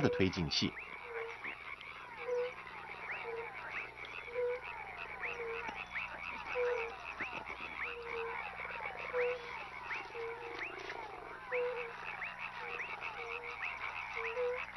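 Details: Tree frog chorus from the genus Hyla: short lower croaks repeat about once a second beneath a continuous, dense layer of high rattling chirps.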